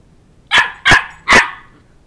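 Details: Shetland Sheepdog puppy, two months old, barking while chasing a toddler around a coffee table to win back a stuffed toy dog head; three quick, loud, high-pitched barks in close succession over a quiet room.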